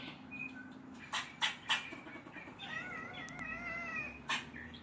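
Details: Neighborhood squirrel barking at a black stray cat it dislikes: three sharp broadband barks near the start and one more at the end, with the cat's wavering meow in between and faint bird chirps in the background.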